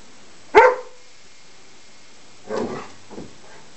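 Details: Indoor play between Juno and Maverick, a Greater Swiss Mountain Dog puppy not convinced play is a good thing: one loud, sharp bark, then two softer, rougher barks about two seconds later.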